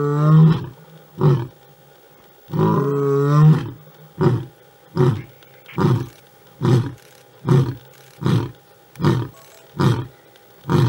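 A big male lion begins with two long, deep, rumbling roars, each rising and falling. A series of short, forceful grunts follows, repeated a little more than once a second and fading toward the end.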